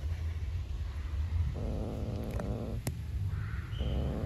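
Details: A hungry black stray cat living outside growls while refusing to share food with a beige cat; a low, rough growl swells midway and again near the end over steady low background rumble, with a brief sharp click.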